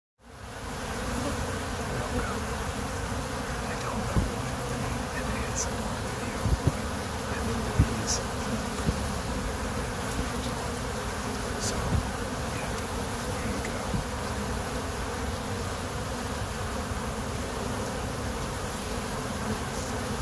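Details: Kept honey bees buzz steadily, a dense low hum of many wingbeats with no pause; an aeroplane can also be heard.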